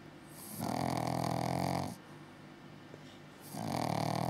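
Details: Pug-Zu puppy, 6 months old, snoring while asleep: two long, rough, rumbling snores, the first lasting over a second, separated by a quiet breathing pause.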